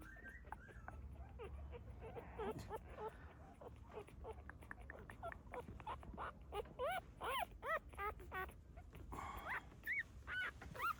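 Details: Soft, low-level rustling gives way to quick high whimpers and rising squeaks, growing denser toward the end, where a dog mother has just had puppies in a secluded spot.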